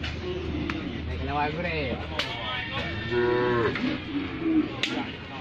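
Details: A cow hurt in a car collision, its leg broken and finding it hard to stand after lying down, utters short groaning moos followed by a longer falling moo over overlapping human chatter and sharp knocks.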